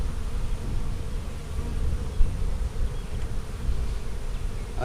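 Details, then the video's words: Honey bees buzzing during an April 15, 2017 hive inspection of a split made March 4: a steady, low, rumbling drone that continues throughout with no clear pauses. "Bee Hive Inspection"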